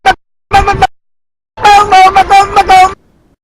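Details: A desert rain frog (Breviceps macrops) gives shrill, toy-like squeaks in short bursts, like a dog toy: the angry war cry of a defensive frog.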